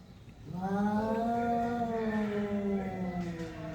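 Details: Two cats facing off give a long, low, droning yowl that swells slightly and holds steady for about three seconds before fading.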